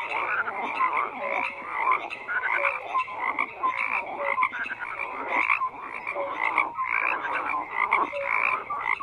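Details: Continuous chorus of numerous frogs: overlapping grating croaks in rhythmic bursts, a persistent high buzzy band and scattered short whistled notes, loudness rising and falling every second or so.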